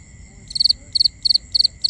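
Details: Crickets at night in binaural ambience: a loud high chirp of three quick pulses repeats about every third of a second, over a steady thin background hum of more insects.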